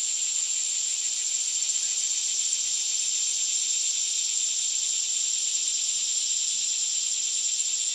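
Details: Intense, steady cicada song, a piercing high sizzle with a faint rapid throb, running unchanged from start to finish.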